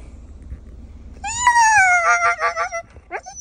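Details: Siberian Husky in a car during a mountain hike, reacting to a deer it has spotted and asking to be let out to chase it. A drawn-out high whine slides downward with a wavering tone for about 1.5 seconds, then comes a short yip.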